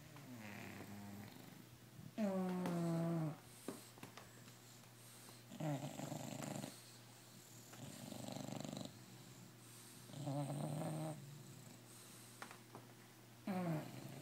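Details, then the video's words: Several bulldogs snore together all night like an orchestra, giving uneven, low, rattling snores of different lengths with faint breathy sounds between them, heard indoors. "My Snoring Bullies"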